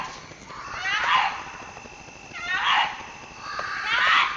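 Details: Fox calling during the mating season, when foxes call out to each other: three drawn-out, harsh, wavering screams, each about half a second long and falling slightly in pitch, spaced roughly a second and a half apart over a steady hiss.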